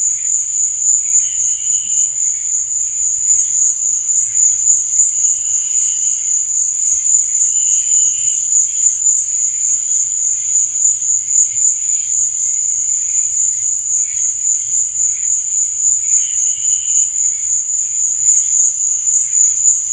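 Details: Nighttime cricket chirping: one constant, high, buzzy trill runs without a break, with occasional brief lower bursts of chirps scattered across the recording.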